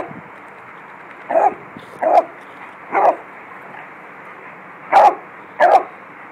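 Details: Beagle in a yard at play with a Lab, dogs running about; five short, punchy barks come at uneven gaps, three close together and then two more after a quiet pause.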